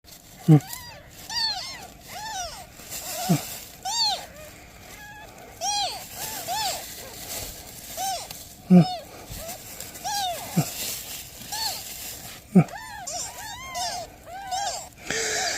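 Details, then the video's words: Domestic cat setting, with a mother cat asking for help and newborn kittens: a long run of high, arched meows, each rising then falling with bright overtones, about one per second, with several sharp low thumps and a faint steady hum. "Mother cat ask for help! Newborn kittens meows"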